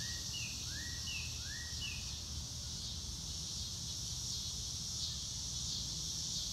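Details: Grassland crickets keep up a continuous high, buzzy chorus beneath open sky. Early on, a bird gives four quick, arching whistled notes, then only the insect hum and a low background rumble remain.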